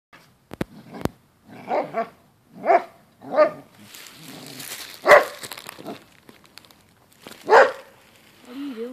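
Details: Basset Hound barking during a dog fight, indoors: a string of short, mid-pitched barks spaced about a second apart, with a sharp click early on and faint talking between barks.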